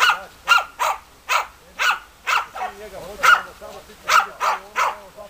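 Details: Loud, clipped barks from the German Hunting Terriers Bagira and Cox von der Fuchskralle repeat about twice a second over a faint, wavering whine or murmuring voice in the background.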